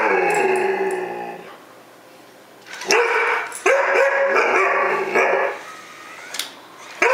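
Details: A 6-month-old Alaskan Malamute meeting a toy robot gives drawn-out, wavering woo-woo vocalizations, rising and falling in pitch.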